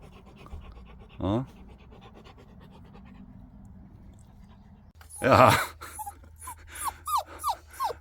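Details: Labrador Retriever, once a puppy found crying in a drain and now four months after rescue and adoption, pants and then gives a run of short, high, downward-sliding whines, with a person talking over and between them.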